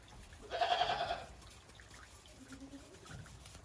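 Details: Goat on a Japanese farm walking warily on fresh snow after heavy snowfall, late December 2023; a single loud, shaky bleat lasting about half a second, then quiet with faint low sounds.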